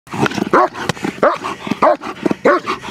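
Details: Big, powerful German Shepherd during protection training, giving four deep, forceful barks at a steady pace of roughly one every 0.6 seconds, with short gaps of low panting or breath noise between them.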